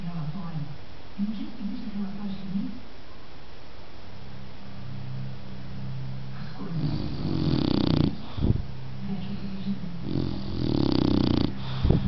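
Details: Pet dog snoring indoors, low rumbling breaths repeating roughly twice a second, louder heavy snores building toward the end.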